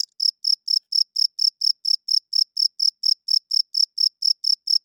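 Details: Steady high-pitched cricket chirping at night, about four clean, tonal chirps each second in a very regular rhythm, heard alone in a silent setting.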